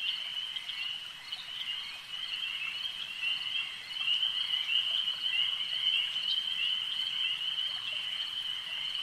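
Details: At a lake, massed frogs keep up a constant high-pitched trilling drone, quieter at first and then louder in the second half, with no other clear sounds.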